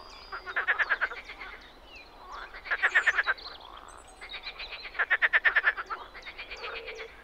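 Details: Spring frog calls from a Czech pond or wetland: trains of quick, clicking, pulsed croaks about a second long, separated by brief quiet gaps, with a few fainter callers behind.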